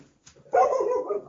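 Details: Tera, a dog that has just walked into the room during a conversation, gives a single short bark that trails into a brief wavering whine after a moment of near silence.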